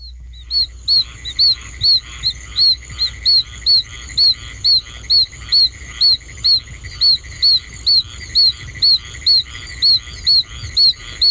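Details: Oak toad, Bufo quercicus, a small toad in an archival recording by Bogert: short, high-pitched peeping whistles repeated about twice a second in a long, fairly regular series, likened to baby chickens, over a soft low rumble.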